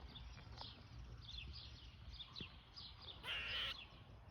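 A squirrel gives a series of short, scratchy chirps ending in one loud, harsh rasping bark.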